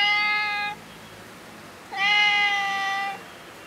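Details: A tabby cat that seems to know the person and wants food gives two long, steady, nasal meows, the second drawn out over a second.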